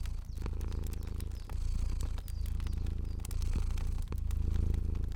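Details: Fluffy house cat purring while asleep, a steady low throbbing rumble rising and falling in slow breath cycles, overlaid by frequent snapping crackles of a burning fire.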